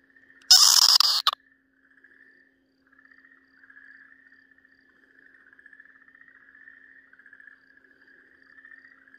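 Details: Okinawa green tree frog seized by a Ryukyu green snake, 4 March 2023, gives a single raucous, noisy scream under a second long. It gives way to a faint, steady, chirping trill that carries on for several seconds.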